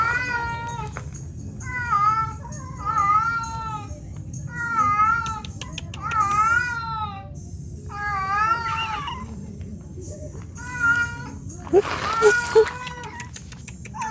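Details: Domestic cat in heat: a series of about eight short wavering meows, each arched in pitch, spaced roughly one to two seconds apart, over steady low hum and faint music.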